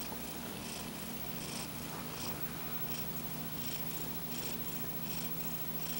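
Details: Napping cat Paco, paw held over his eyes during his afternoon sleep, gives quick breathy snores, somewhat faster than once a second, with a low rumbling undertone and steady room hum.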